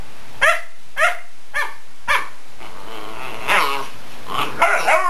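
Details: Pet dog barking at fingers running across a couch: four sharp barks roughly every half second, then a noisier stretch of mixed barks, whines and rustling.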